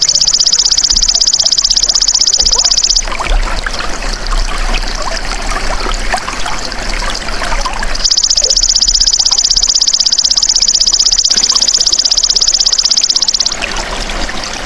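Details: Golden grasshopper heard as a training recording for songbirds: a shrill, fast-pulsing buzzy trill stops abruptly, leaving several seconds of rushing, trickling water-like noise, then resumes just as abruptly and cuts out again.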